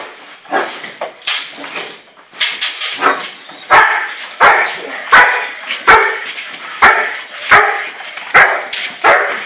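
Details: German Shepherd barking during bite work training: sharp, harsh barks in irregular bursts at first, then steadier, roughly one every half second to second, with a few faint yips between.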